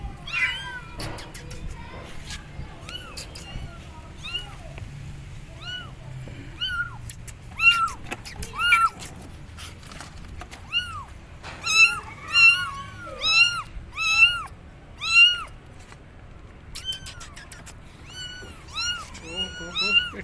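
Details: Abandoned kittens on a gate calling their mother with loud meows: sparse at first, then a dense run of arched, urgent meows from several kittens in the second half, over low background rumble.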